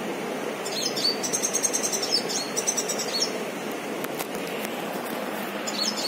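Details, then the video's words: Squirrel giving rapid, high-pitched pulsed chirps in two trilled bursts of about a second each, then a brief chirp near the end, over steady outdoor hiss with a few faint clicks. "Squirrel - खारुताई"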